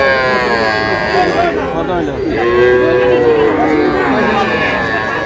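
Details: At a livestock market in Cumilla, Bangladesh, on 12 May, where small bulls and heifer calves are traded: a long, bellowing moo swelling midway, with more lowing and crowd chatter around it.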